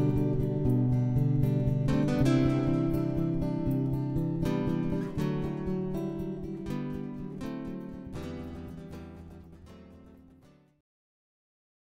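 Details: Strummed acoustic guitar music plays and fades out to silence near the end, with no animal sounds.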